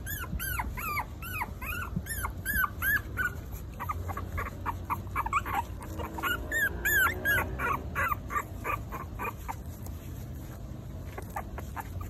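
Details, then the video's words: Four-week-old Maltese puppies crying in rapid repeated arched yelps, about three a second, louder early, then scattered softer squeaks over a low hum. "Maltese puppies (4 weeks old)"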